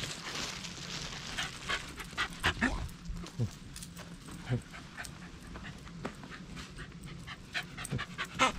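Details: Pet Shiba Inu Taro, let down after being teased with a walk, recorded on a GoPro Hero8; quick steady panting fills the clip alongside handling noises, a faint whimper-like note and a person's voice in Japanese.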